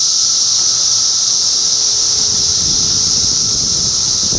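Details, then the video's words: Cicadas in Middlesex County, New Jersey, during June 2013 keep up a relentless high-pitched whine, while faint low rumbling noise rises toward the end of the clip. "Cicada Symphony"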